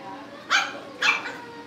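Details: Cavalier King Charles Spaniel puppies kept at a family home before going to new owners: two short, sharp yapping barks about half a second apart, with low room hum beneath.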